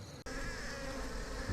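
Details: Swarm of African honeybees (Apis mellifera scutellata) in South Africa's Highveld, being caught by hand from a polystyrene cooler box as a thunderstorm approaches; steady dense droning hum after a brief gap, with a low rumble beneath.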